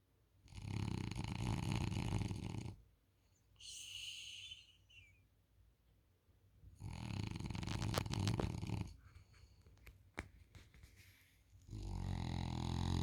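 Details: French Bulldog sleeping on a couch snores in loud, rough, low rattling bursts about two seconds long, separated by quieter breathing and a faint higher wheezy sound between them.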